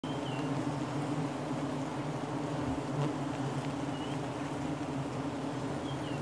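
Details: A dense, steady, low drone of many giant honey bees (Apis dorsata), continuous like a hum, heard during honey hunting.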